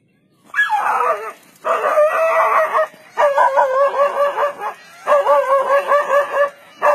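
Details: A dog barking at a leopard, its barks credited with saving it from the big cat; loud, harsh barks come in bursts of about a second, separated by brief pauses.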